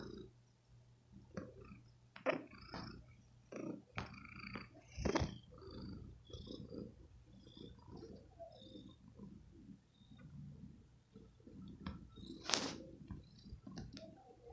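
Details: Domestic cat sucking on a shirt, a nursing-like habit in cats taken early from their mother, tender and affectionate; a low steady purr runs throughout beneath wet sucking clicks and smacking sounds, with a sharper squeaky smack near the end.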